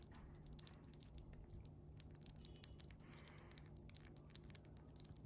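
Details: Chipmunk eating jelly made as small-animal food, a favourite treat, chewed indoors with a wet smacking sound. Rapid, irregular crisp clicks grow sharper toward the end over a low, steady background hum.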